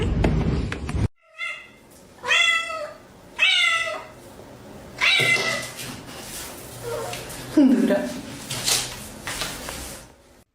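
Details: Domestic cat meowing indoors in a funny compilation: a series of harmonic, drawn-out meows, each about half a second, repeated roughly every second, followed by noisier vocal sounds and a falling cry, with laughter and talk around it.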